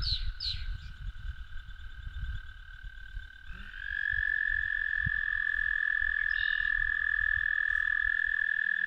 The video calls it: American Toad song